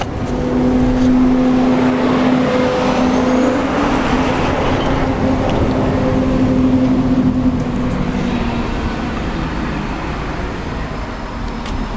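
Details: Road traffic roars continuously with a droning engine hum, and no animal can be heard.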